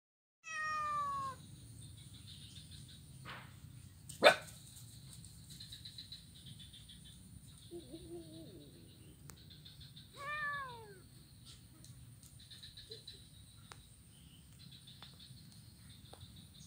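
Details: Blind kitten playing on a wooden ironwood bridge on Jalan Kolonel Sugiono, Kuala Kapuas, Central Kalimantan, on Monday 25 November 2019. Two harmonic meows, falling in pitch, one at the start and one near ten seconds. A sharp knock comes between them against a quiet background.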